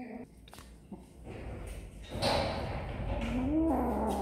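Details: Kittens at snack time give a short, wavering meow in the last second, rising then dipping, after quieter indoor rustling and handling noise.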